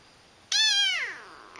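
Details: Pet cat indoors giving a single clear, high meow that starts abruptly and slides downward over about half a second, with a quiet room behind it.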